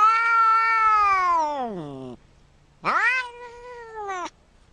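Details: Cat letting out a long wailing meow that sinks steadily in pitch, then after a short pause a second, shorter meow that rises and holds before cutting off.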